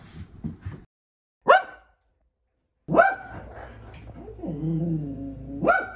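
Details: Keeshond barking indoors: a few sharp harmonic barks, then a drawn-out whining, wavering sound ending in another short bark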